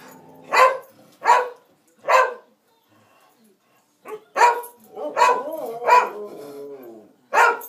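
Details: Two dogs, Stewart and Cassie, play and 'sing'. Loud, short, yelping barks come in an uneven series: three quick ones, a brief lull, then about five more close together. Each bark has a bright, slightly tonal ring.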